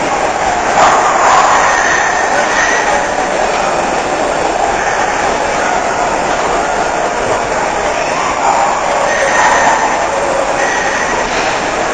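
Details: Steady loud broadband rumble and rattle like a passing train or vehicle, with faint voices; no animal heard.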